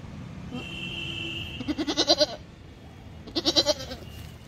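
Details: Goat kept in a mutton shop, bleating: two pulsed, wavering bleats about a second and a half apart, each rising and falling in quick beats, over steady background hum and a thin high whine.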